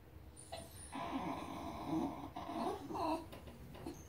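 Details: A Basenji crying at squirrels gives a high, wobbling whine, the tone sliding up and down in uneven short bursts, over faint room noise.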